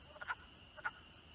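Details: Male wood frogs chorus at night in rain at about 50°F at an artificial vernal pool, South Sutton, New Hampshire, April 2020, on the spring Big Night breeding migration: short, hoarse, duck-like clucks about half a second apart to attract females.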